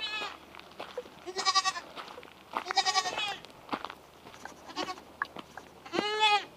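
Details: French Alpine baby goats getting their bottles; several loud, wavering, nasal bleats, one near the start, bursts around the second and third seconds and a strong final cry, between clattering and handling noises.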